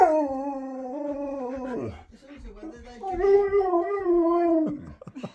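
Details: Road-tripping Siberian husky lets out a long, steady howl that dips at the end, pauses briefly, then swells into a second sustained, slightly wavering howl lasting about two seconds.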